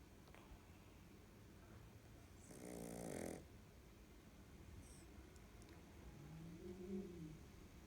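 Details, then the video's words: A Boston Terrier snores while sleeping, letting out one rough, rattling breath and then a softer, lower one. "Snoring Boston terrier"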